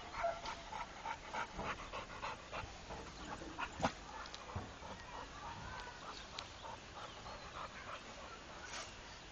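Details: Rako, a trained Pit Bull, pants steadily in short rhythmic huffs several times a second, with a few louder clicks and soft background noise.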